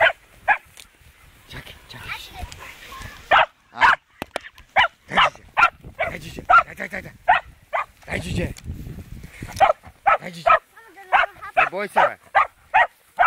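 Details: Fox terrier facing a wild boar for the first time: scattered barks and background voices early, then a strong series of sharp, rapid barks in the second half.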